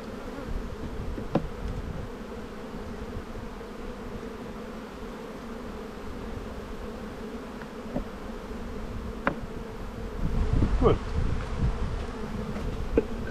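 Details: Steady low hum of honey bees at an open hive in spring, colony full of brood during the buildup, an even droning buzz throughout with a few faint clicks and a slightly louder swell near the end.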